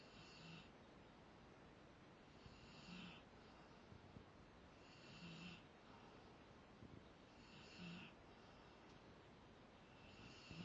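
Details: Sleeping Rottweiler snoring steadily, with rough, wheezy inhalations about every two and a half seconds, each carrying a faint low rumble and a hissing top, in a still indoor setting.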